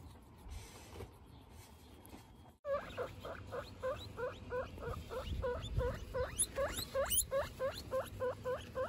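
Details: Domestic guinea pig family, a mother with her three babies, kept as pets: after near silence in the first seconds, a steady run of rising squeaky whistles repeats about three times per second, some reaching much higher shrill peaks.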